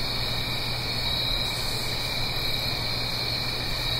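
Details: Autumn night cricket chorus recorded in stereo in the Blue Ridge Mountains above a gentle stream, an unbroken high-pitched trilling from many callers layered over soft stream rush and a faint low drone.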